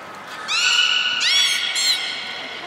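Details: Captive beluga whale at Port of Nagoya Public Aquarium, 3 February 2019, during feeding and play time. A bright, harmonic whistle starts at half a second, holds steady, then jumps higher and brightens again before fading, with faint hall ambience.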